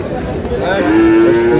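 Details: Sahiwal bull calf being sold at Aftabganj market, Dinajpur, Bangladesh, 25 July; after a murmur of market voices, a steady, even-pitched moo starts midway and holds to the end, with people talking nearby.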